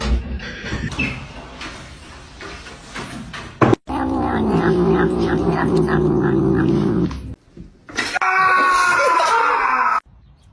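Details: Domestic cat indoors giving a drawn-out, wavering yowl with a strong harmonic tone near the end, after stretches of indoor clatter and a loud, steady buzzing noise.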